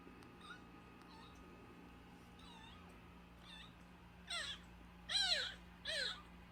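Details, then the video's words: A nursing kitten less than a month old, found crying at a house's front gate and brought indoors. Faint mewing gives way to three loud, rising-then-falling meows about a second apart over a steady low hum. "엄마가 빽빽거리며 우는 동생 하나를 데려왔어요. 대문앞에서 울고 있었다는젖먹이 아기고양이"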